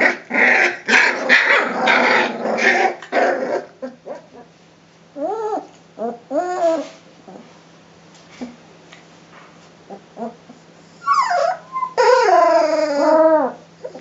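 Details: Three-week-old Rhodesian Ridgeback puppies at a kennel play-fight, growling roughly at each other with high whimpering yips in between.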